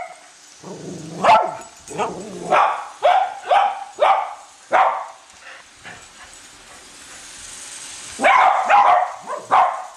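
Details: Cavalier King Charles Spaniels Colby and Shelby bark while chasing a toy train circling the Christmas tree at home; a steady run of short, bright barks roughly every half second, then a louder cluster near the end, with mechanical hiss beneath.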